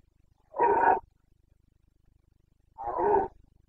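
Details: Red deer stag of the Carpathians roaring in Bucovina on 29 September 2022 during the breeding season, the boncănit. Two rough, throaty half-second roars about two seconds apart, in still surroundings.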